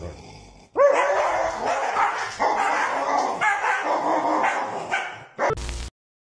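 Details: German Shepherd dog giving a long, continuous run of wavering, moaning vocal sounds that rise and fall in pitch like grumbling talk, ending with a sharp clatter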